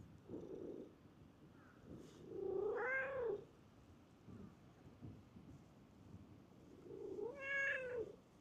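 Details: Stray cat in a park, running up on seeing a familiar face; two drawn-out meows with rising-then-falling pitch, about four seconds apart, with soft low murmurs between them and quiet outdoor background.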